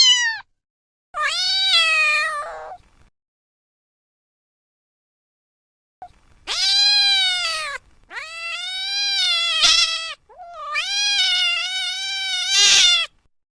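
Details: Cats and kittens meowing in a sequence of long, wavering, plaintive mews, several running two to three seconds, with a short pause partway through.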